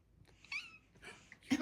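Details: Female house cat meowing as she is asked if she wants to eat: a quick rising-then-falling mew, a second fainter call, then a burst of human voice.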